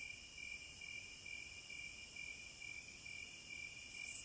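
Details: Steady shrill cicada drone in the wilderness, a high continuous buzz that dips and returns, backed by regular lower pulsed trills and ending in a sudden louder surge.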